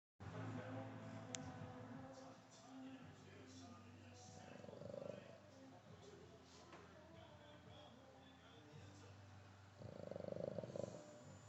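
A sleeping Boston Terrier snores in slow, rumbling, breathy bursts over a low background hum.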